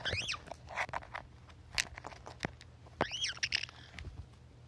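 Guinea pig giving two high, harmonic squeals that rise and fall, about three seconds apart, with clicks and rustling in between.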